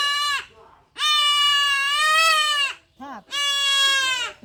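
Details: Young goat kid held down while being castrated, letting out loud, harsh, strongly harmonic bleats: a short cry, then a long wavering bleat nearly two seconds long, a brief yelp, and another drawn-out bleat. Quiet human voices nearby.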